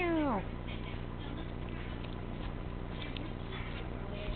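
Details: Teacup Chihuahua puppy, a spunky 13-ounce male, gives one short whimpering whine that slides downward in pitch and lasts under half a second, followed by steady background hiss and faint indoor talking.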